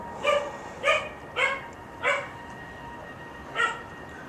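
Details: Dog barking five times in quick succession, short sharp barks about half a second apart, then a pause before the last one, over a steady low hum.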